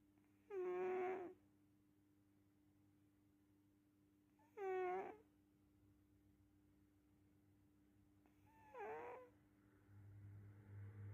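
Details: Sleeping cat snoring: three squeaky, whistling nasal snores about four seconds apart, each wavering up and down in pitch, over a steady low indoor hum.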